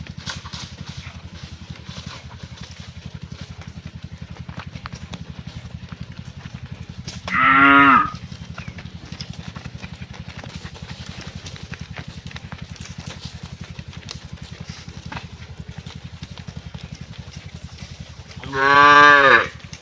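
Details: A cow gives two short, deep, harmonic moos about eleven seconds apart over a steady low hum while cows are herded home to the barn in the afternoon.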